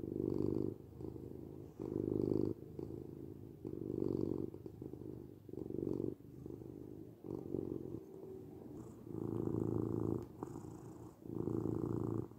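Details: Relaxed domestic cat purring, a deep vibrating rumble rising and falling in regular breaths around every two seconds, with slightly longer pulses near the end.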